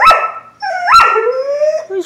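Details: Old female Doberman Pinscher slowly playing with her food to tease a seven-month-old puppy. She makes drawn-out, wavering whining howls with bright harmonics, two strong rising-then-falling cries followed by a long, slowly gliding moan.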